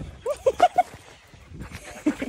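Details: A playful female Siberian husky gives a quick run of short, tonal woos and yelps that bend up and down.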